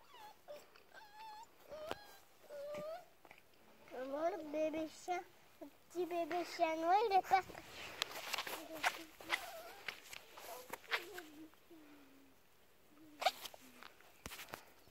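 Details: Black male Bernese mountain dog puppy, four weeks old: thin, squeaky whimpers and whines that rise and fall in short bursts, clustered in the first seven seconds with a few softer ones near the end, while a person speaks French nearby.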